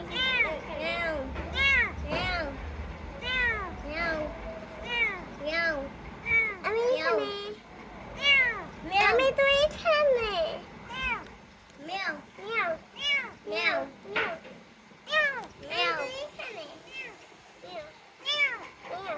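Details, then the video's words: Rescued kitten meowing steadily: a quick run of high, arching, tonal mews, several per second at times, some overlapping, with louder bursts around ten seconds; a faint low rumble underlies the first seven seconds. "Cats Meowing"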